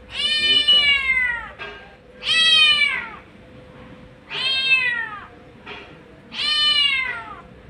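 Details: A street mother cat gives long, drawn-out meows, repeated every two seconds or so, calling her kittens.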